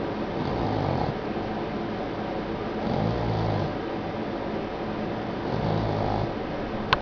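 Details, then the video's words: A Boston Terrier sound asleep snores in slow, rasping breaths about every two and a half seconds. "Snoring Boston Terrier"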